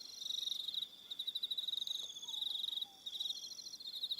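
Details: Crickets on Aroha Island, New Zealand, in the evening: steady high pulsed trilling in bursts of about half a second to two seconds, several insects overlapping, with a faint low whistle drifting underneath.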